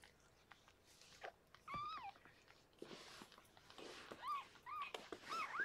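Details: Rescued pregnant cat Harlequin, indoors in foster care, giving birth to six kittens; thin, squeaky mews with bending pitch, a single one early, then several in quick succession in the last two seconds, over soft rustling and clicks.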